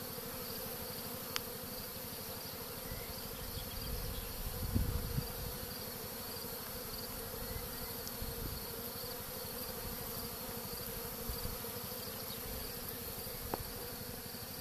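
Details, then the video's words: Swarming honey bees settled on a tree, recovered onto a Dadant hive, phone-recorded: an unbroken low, even buzzing drone throughout, with a brief louder swell of a bee flying close at mid-clip and faint clicks. "Essaimage - Honey-bee-swarm"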